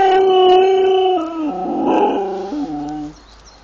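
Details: Siberian Husky in the Urals, recorded on a GoPro during a car trip, gives a sustained, steady howl that breaks into lower stepped tones and fades after about three seconds.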